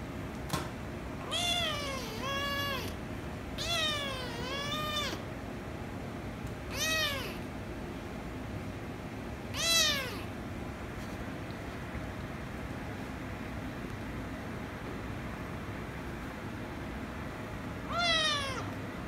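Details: Ginger kitten and rescue kitten, one angered before the pair kiss and lick; repeated loud, bowed meows, two drawn-out early, then single calls at intervals with long quiet gaps, over a faint indoor hum.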